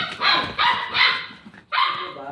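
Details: Pet dogs, a Shih Tzu and a Labrador named Tanggol and Santino, newly adopted; a run of high, harsh yapping barks in quick bursts with short gaps between them.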